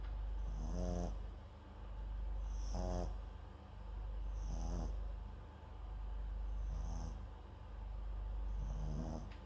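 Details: A Papillon–Japanese Chin mix named MAX sleeps near a microphone, giving five regular snores about two seconds apart, each a gravelly pulsed rasp with a faint high whistle, over a steady low background hum.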